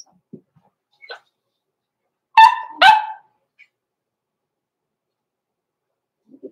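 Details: Two loud, abrupt puppy barks close together, framed by faint taps and small noises, from blenheim Cavalier King Charles Spaniel puppies born November 14, 2022, kept in an indoor pen during the Christmas season.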